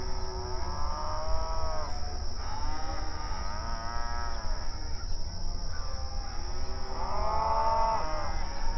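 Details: Grazing cattle on an open range pasture mooing to each other; three long harmonic moos spaced a few seconds apart, each swelling then fading, over a low continuous rumble and faint high hiss.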